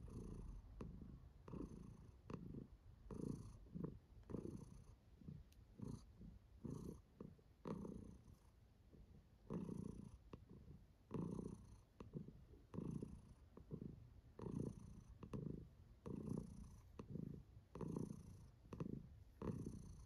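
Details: Contented purring from Kiwi, a female domestic cat enjoying herself; deep rhythmic rumble rising and falling with each breath, roughly two pulses a second over a long steady stretch.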